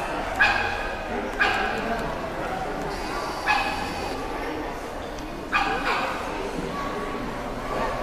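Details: Labrador Retriever barking during heelwork practice before a competition, July 2010: four sharp, loud barks at uneven intervals over eight seconds, with a steady background murmur.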